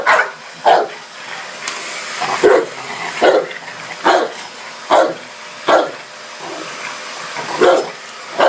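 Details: Dogue de Bordeaux barking at a vacuum cleaner indoors: deep, chesty barks roughly every second, uneven spacing, over the steady hiss of the running vacuum.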